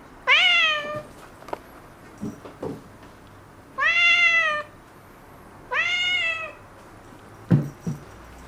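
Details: Affectionate black-and-white kitten, recently spayed, asking to be picked up: three drawn-out tonal meows, arched in pitch, about two seconds apart, with a few soft knocks and taps in between.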